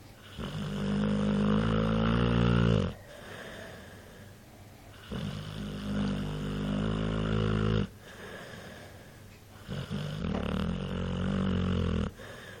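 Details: Dog named Mike snoring, long low rumbling snores with harmonic bands, each lasting about three seconds and separated by quieter breaths, repeating steadily through the recording.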